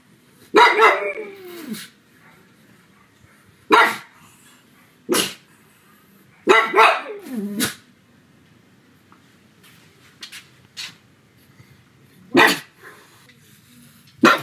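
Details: Domestic pug barking loudly at home on a sunny afternoon: repeated harsh barks, some doubled with whining, falling tails, others short and sharp, coming every one to three seconds with quiet gaps.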